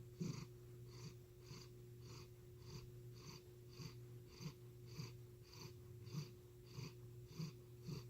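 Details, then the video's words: Chris, a domestic cat with an unusual purr that resembles heavy breathing, purrs quietly indoors. Soft rhythmic pulses repeat roughly every 0.6 seconds, each with a breathy hiss, over a steady low electrical hum. "Purring or Heavy Breathing?"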